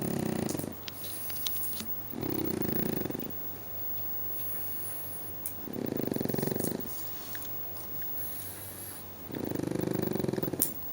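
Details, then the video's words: Loud snoring from a lazy pet pug indoors: deep, rasping rumbles lasting about a second, repeated roughly every three to four seconds, with faint snuffles and a soft whistle between breaths. "Lazy Pug is Snoring LOUDLY!!!"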